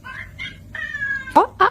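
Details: Cat making odd, tonal calls: short chirpy notes, then a long, steady, slightly falling whistle-like meow, ending in two loud, abrupt squawks.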